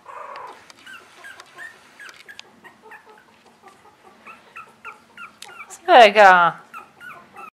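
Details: Russian Toy puppies, three weeks old, giving a steady run of short high squeaks and whines about four per second, with a brief loud harsh burst near the middle and a short human voice.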